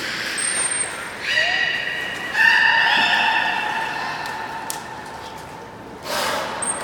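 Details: Belugas Mirai and Niko in a training session at Port of Nagoya Public Aquarium, 12 February 2018. Long steady harmonic whistles overlap and hold for several seconds, one bending upward, then fade, with brief high thin tones at start and end.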